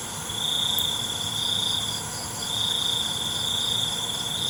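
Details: Night cricket chorus with long, high, even trills, each lasting around two seconds and separated by a brief dip, set against a continuous background buzz of other insects.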